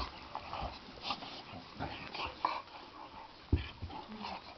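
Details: Two Boxer dogs play fighting, doing the traditional clashing of the teeth; short irregular grunts, soft whimpers and sharp clicking snaps scattered through the moment, with a few louder snorts.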